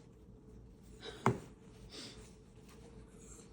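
A quiet room with soft rustling and one sharp tap, with no animal voice heard.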